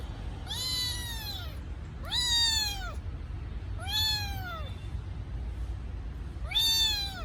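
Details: ['Kitten missing its mother gives four loud, high meows at regular intervals of about two seconds, each bending up then down, with quiet low hum between cries.']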